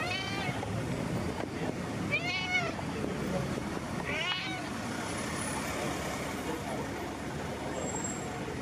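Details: Street cat, friendly, greeting and asking for attention outside in town: three bright, arching meows spaced about two seconds apart in the first half, then only steady traffic hum and faint voices.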